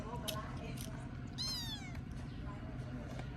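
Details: Abandoned baby kitten being fed its first safe meal gives one clear, high, rising-then-falling harmonic meow of about half a second, surrounded by Vietnamese speech and a steady low hum.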